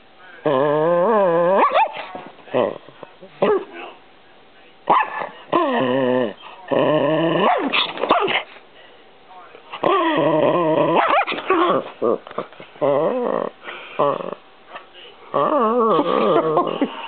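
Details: Chihuahua arguing with and attacking a camera; continuous stretches of whiny, wavering growls and yowls broken by short barks, with brief pauses between bursts.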